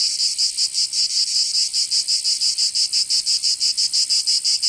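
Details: Short burst of summer cicada song in Provence, southern France: an intense, high buzz beating in distinct rapid pulses, close to three a second, clear against a quiet background.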